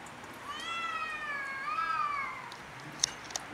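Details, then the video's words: Cats quarrelling over territory on house roofs: one long, wavering, drawn-out yowl that rises and falls for about two seconds, then two sharp clicks near the end. "Cats quarrel over territory on house rooves"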